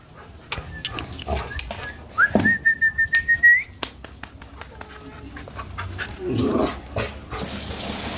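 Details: Two over-excited Labrador Retrievers at play that turns into a small fight: a quick run of about seven rough, barky growl bursts within roughly a second and a half, overlaid by a steady high whistled tone, with softer scuffling before and after.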